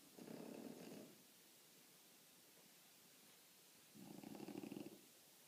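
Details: French Bulldog snoring softly, a pair of short, buzzy, rattling breath sounds near the start and end, separated by about three seconds of quiet.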